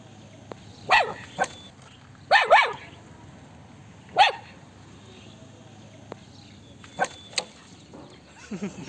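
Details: Small puppy that sent children running, giving sharp, high yapping barks in short bursts, a doubled bark near the middle and lighter yips toward the end, with quiet pauses between and faint voices nearby.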